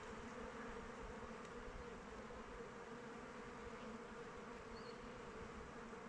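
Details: Honey bees fly around the hive in open weather, a continuous, dense buzzing hum that stays even throughout, with faint high chirps in the distance.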